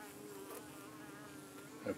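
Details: Honey bees at a hive in the UK on an evening, defending themselves against flies darting in to settle on their abdomens: a steady low droning hum with layered harmonic tones, rising briefly in loudness near the end.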